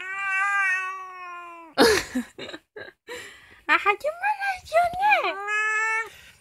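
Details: Night indoors, the two-year-old female cheese-coloured cat Kkomaengi gives bent, wavering meows mixed with laughter and talk, bracketed by long steady hummed tones from a person.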